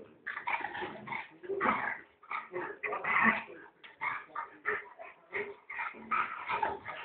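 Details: Puppy yipping and whimpering in quick, uneven bursts, about two each second, each short cry high and strained, with brief gaps between runs over seven seconds.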